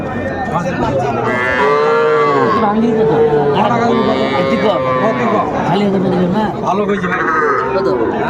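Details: Young bull calves at a cattle market in Comilla, Bangladesh, bought by a farmer; several loud, drawn-out moos with wavering tonal pitch follow one another, over crowd chatter and bargaining voices.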